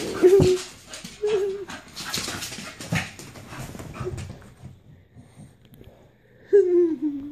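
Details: Dino, a pet Staffordshire Bull Terrier, playing and having fun indoors, lets out short nasal whines and yelps in bursts, with a longer drawn-out falling whine at the end; laughter and rustling fill the gaps between.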